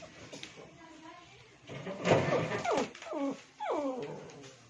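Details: Pet Shih Tzu indoors calling for another dog's attention: a few falling, whiny yelps after a louder noisy burst, with faint talking in the background.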